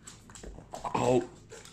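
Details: Boston Terrier indoors, overexcited at evening snack time and snapping at the treats, gives a short high whine rising into a brief nasal yelp, with soft clicks and a person's voice nearby.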